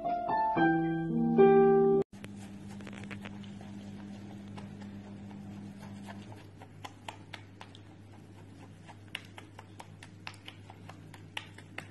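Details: A few seconds of piano-like music, then steady indoor hum with scattered soft clicks and taps.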